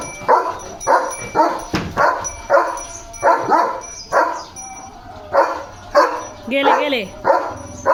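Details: Leo the German Shepherd barks through a morning of play, with punchy, fairly regular barks about twice a second and a short break midway. A brief rising-and-falling wavering sound appears near the end.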